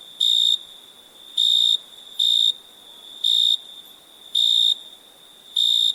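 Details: At night, crickets give loud pulsed chirps in an uneven rhythm, six bright high bursts over a continuous thin insect hum.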